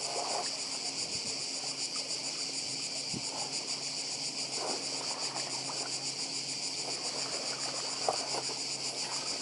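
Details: Seaside cicadas on Badija island in Croatia fill the air with a relentless, piercing, finely pulsed buzz, while soft waves wash below and a few faint clicks and knocks sound near the end.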